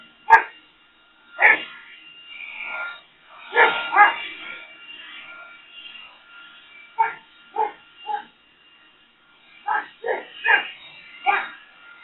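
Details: Boxer dog reacting to a leaf blower with scattered sharp barks mixed with drawn-out whining and grumbling, ending in a rapid run of five barks; a faint steady high tone persists throughout.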